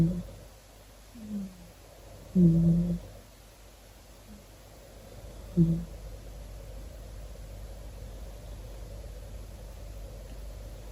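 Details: Tuxedo cat snoring: soft, low nasal bursts, four of them across the first six seconds with the loudest near two and a half seconds, then only a faint steady hum.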